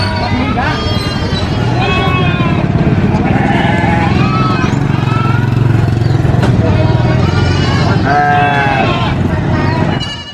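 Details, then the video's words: Screams from a baby goat come as repeated quavering bleats, each arching up then down, spaced a second or two apart. A constant motor drone and human talk sit beneath the calls. "SCREAMING GOAT BABY GOAT VIDEO FUNNY GOAT SOUNDS"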